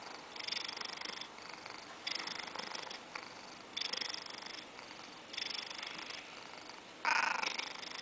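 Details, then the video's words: A 14-year-old male Siamese cat purrs in breathy, rhythmic pulses, then gives one brief meow at the end. "My gorgeous cat purrs, winks, meows and looks a tiny bit threating"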